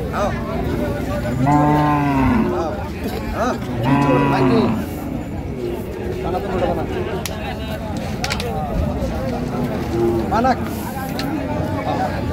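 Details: Two drawn-out, descending bellows from a cow with calf at the Raniganj livestock market, Dinajpur, on 8 May 2025. A fainter short moo follows later, over constant voices and market bustle.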